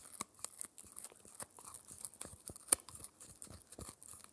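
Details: Indoors, four-month-old Shetland Sheepdog Spencer bites and tears at his daily dried-ear dental treat. Separate crisp crunches are spaced through the stretch, with a loud crack near the end and faint rustling between bites.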